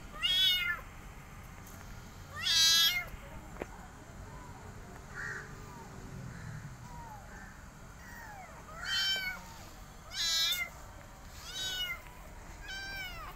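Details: Rescued mother cat with her kittens and an adopted kitten she is caring for; high, harmonic meows rising then falling, given in short bursts with pauses between, about six calls over the stretch, against a quiet indoor background.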